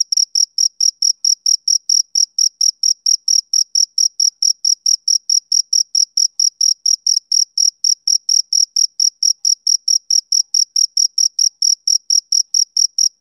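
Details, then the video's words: Summer-evening chirping of a male cricket, with crisp high-pitched pulses repeating rapidly and regularly, roughly four or five per second, throughout a long stretch over a silent background. "Cricket Chirping Sound Effect"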